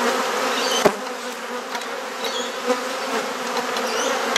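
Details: Continuous droning hum of a honey bee colony while frames are swapped during a hive inspection in a Perth garden, Australia. A loud knock near the start, then softer taps over the steady buzz.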